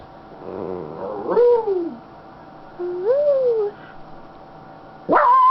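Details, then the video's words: Happy female Schnauzer lying on her owner's lap, giving a few drawn-out whining vocalisations that rise and then fall, with short pauses between them and a sharp yelp at the end. "Sounds of a happy Schnauzer"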